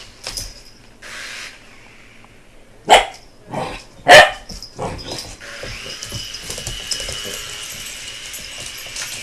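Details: Puppy BooBoo, an American Bulldog, barks at a helicopter. Two loud barks come about a second apart with a softer one between, then a rising, steady helicopter hum takes over for the remaining seconds.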